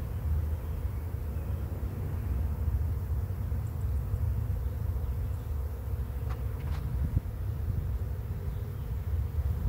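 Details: Arriving bee swarm at a swarm trap: thick, unbroken low buzzing hum throughout, with a few faint high ticks and a short brighter burst around two-thirds of the way.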